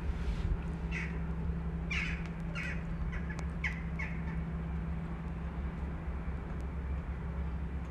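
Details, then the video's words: Homeless kitten in Istanbul crying out for its mother. A run of five or six sharp, high mews in the first four seconds, then only low street hum. "Kitten living on the street calls mother cat"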